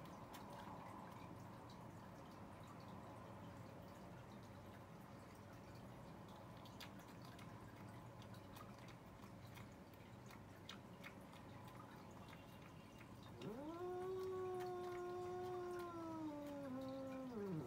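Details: Cats arguing: after a long stretch of quiet room noise, one drawn-out, low wailing yowl rises, holds steady, then sags and fades in the last few seconds.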